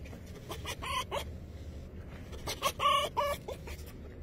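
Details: A male fox greets his people in the morning with excited, harsh, chattering calls in two quick bursts.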